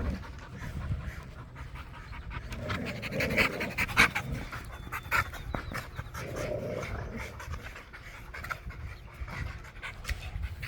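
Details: Pit Bull puppy playing with his new pack at a private dog park, panting in quick, uneven breathy bursts at about a hundred a minute, with rustling and scuffling from play in the background.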